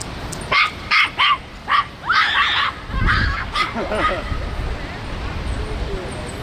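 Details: Miniature Pinscher puppy on its first outing, meeting bigger dogs: a quick run of four short, sharp, high barks opens, followed by people chatting and laughing in Vietnamese.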